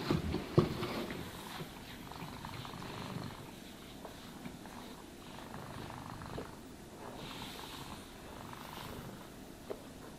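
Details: Domestic cat purring while being brushed and groomed: a low, rough rumbling purr with soft brushing strokes and light rustles over it, a brief click near the start.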